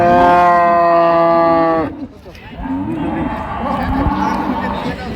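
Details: Improved-breed dairy cow or calf at Amberi cattle market, Dinajpur, recorded 28 September 2025; one loud, steady, richly harmonic moo holding an even pitch for nearly two seconds, then men haggling over price amid crowd murmur.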